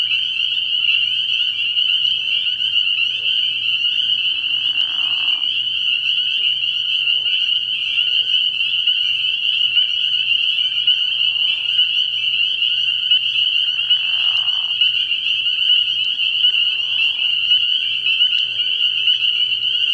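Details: Spring peepers calling at night from a frog pond early in the year, a dense chorus of high peeps merging into one continuous shrill ringing, with a few lower, rougher bursts rising briefly around the fifth and fourteenth seconds.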